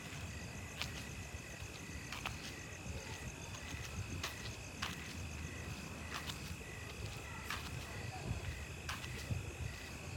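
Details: Crickets at night after rain, a steady high pulsed chirping with faint repeated trills, over a dense low rumble of rain or dripping water and occasional sharp clicks.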